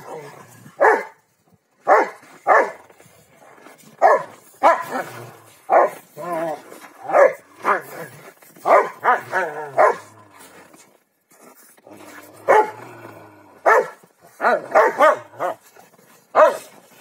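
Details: Rottweilers Malysh and Sam at play in a king-of-the-hill game, giving a long run of loud, harsh barks, single and in quick doublets and triplets, with a person calling between them.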